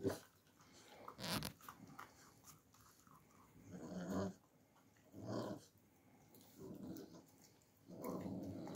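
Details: Alabai puppies in winter with low, rough growls and grunting breaths in short bursts, one roughly every one to two seconds, plus a sharper noisy burst near the start, indoors and close up.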